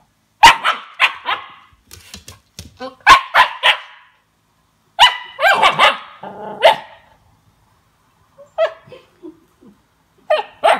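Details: Siberian Husky puppy, two months old, reacting to its first taste of lemon with repeated high barks and yelps in uneven runs, some drawn-out whiny notes, with possible human voice mixed in.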